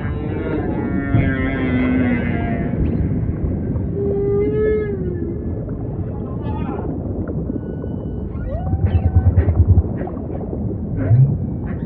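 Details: Humpback whale song with long drawn moans and a bending mid-pitched whistle, then a burst of quick low pulses and short chirps, heard over constant deep ocean rumble.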